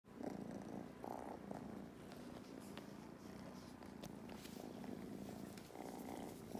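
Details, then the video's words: Kittens Mustard and Thyme purring during lap time on a farm in County Kilkenny, Ireland: a steady, low rumbling purr that swells and eases with each breath, roughly every second. "These kittens certainly have powerful purrs, they’ve become purr machines"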